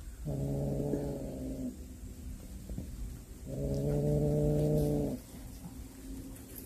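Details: A cat that hunted a snake and brought it home gives two long, steady, low yowls, each about a second and a half, separated by a short quieter pause with faint rumbling.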